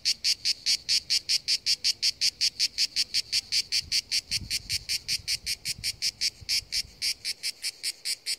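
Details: [4, 'By the sea, cicadas give a loud, strongly pulsed buzzing song, bursts following each other several times per second, with a light low rumble in the middle.']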